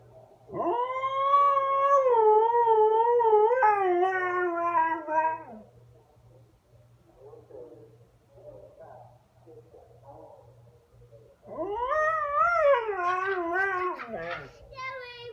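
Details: Siberian Husky howling indoors: a long, wavering, rising then level howl lasting about five seconds, a quiet pause with soft murmurs, then a second howl that rises and falls, with a faint low hum beneath.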